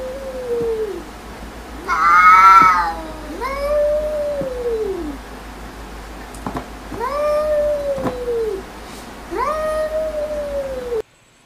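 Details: Domestic cats arguing with each other: a series of about five drawn-out, arching yowls, each rising then sagging, spaced a few seconds apart, with one louder, harsher cry early on.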